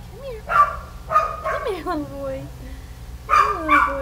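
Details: Kelpie pups giving high yips and sliding whiny cries, some falling in pitch, with short barks at the start and end; a human voice may be mixed in.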